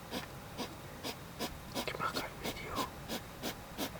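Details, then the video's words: Hedgehog making a strange coughing, panting noise: short breathy huffs, broad and noisy, repeated steadily about three times a second for several seconds, with a soft human voice faintly in the background. "Mysterious noise of hedgehog /Seltsame Geräusche von einem Igel"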